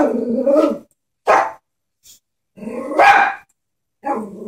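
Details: Chihuahua scared of a stuffed horse toy: a growl rising into a bark, then a single sharp yap, followed by a longer growling bark and another short growl, separated by quiet gaps.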